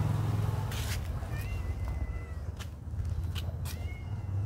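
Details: Friendly cats living at a pagoda; thin, drawn-out meows rise and fall in the middle and near the end, over a steady low rumble and scattered sharp clicks.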